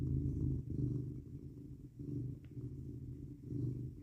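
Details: Indoor cat cuddled up in bed, purring on a 19 degrees F night; rich low vibrating purr rising and falling in several breath cycles, quiet room otherwise.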